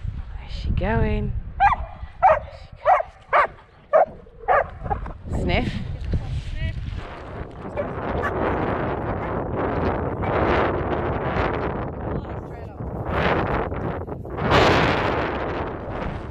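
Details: Poodle out mantrailing at Penshurst gives a quick run of about nine sharp, harmonic barks over the first six seconds, then falls quiet. A handler praises the dog, with rustling and movement noise outdoors.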